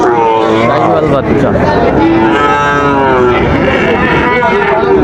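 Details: Moos from Sahiwal bull calves for sale at Raniganj market, Dinajpur, 15 August 2024. Several long, bending lows overlap one another against dense crowd noise and bargaining voices.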